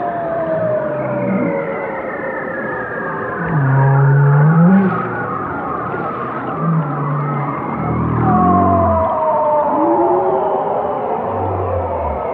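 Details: Whale chorus of deep grunting pulses and a loud low moan with an upturned end. Higher falling cries follow, then a bright rising sweep, repeated over a continuous reverberant backdrop.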